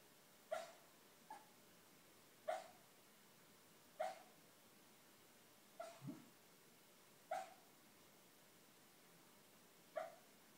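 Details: Dreaming schnauzer barking in his sleep: soft, clipped woofs and yips at an uneven pace, about seven in ten seconds, one low grumble midway, indoors with a faint steady background hiss.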